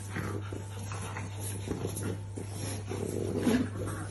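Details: French Bulldog puppies making soft, short whimpering and grunting noises in irregular bursts, louder near the end, over a steady low electrical hum with faint background voices.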